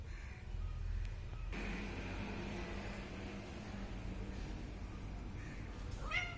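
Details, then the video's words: Kitten meowing: a drawn-out harmonic meow holds steady for about four seconds, then a short, sharp rising mew follows at the end, over a constant low rumble of background noise. "anak kucing meong-meong | anak kucing meow | bunyi anak kucing meow"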